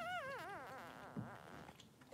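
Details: Newborn Blenheim Cavalier King Charles Spaniel puppy, one of two three-day-old boys with mother Pom-Pom in an indoor puppy pen: a wavering, quavering whine that slides downward over about a second, then trails off into soft snuffling and rustling.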